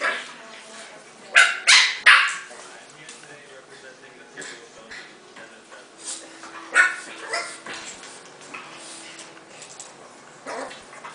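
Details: Bulldog puppy giving a quick run of high, sharp yips early on, then scattered softer yelps and whimpers; a faint steady hum sits low beneath, with possible voices in the background.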